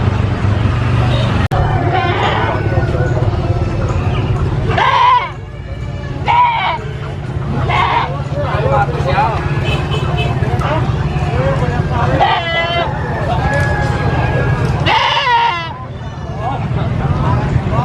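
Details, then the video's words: Baby goat screaming on a farm: about six loud, harmonic, wavering bleats, some quick and clipped, others drawn out, come in bursts over steady low engine rumble and a voice talking. "SCREAMING GOAT BABY GOAT VIDEO FUNNY GOAT SOUNDS"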